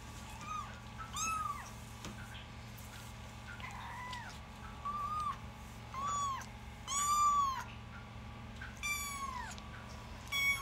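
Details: Mother cat nursing her newborn kittens; repeated high, thin mewing calls arch up and down, about seven short cries spread across the stretch, some faint and some louder, over a steady low indoor hum.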